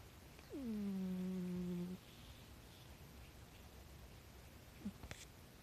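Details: A rescued pet cat snores softly at home. One low, humming, nasal drone starts with a brief downward slide and holds steady for about one and a half seconds, followed by quiet and then a couple of faint clicks.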